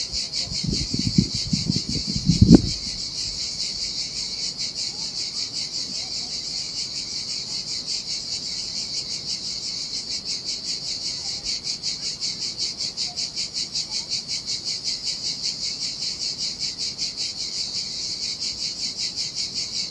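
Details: Cicadas singing in the summer heat beside the Sardinia sea on a desolate beach: a dense, steady, pulsing high buzz throughout, with a few low thumps and splashes in the first three seconds.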